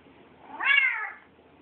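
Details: A Bengal cat named Buddy Bear gives a single drawn-out meow that rises, holds briefly, then falls away, around its mealtime.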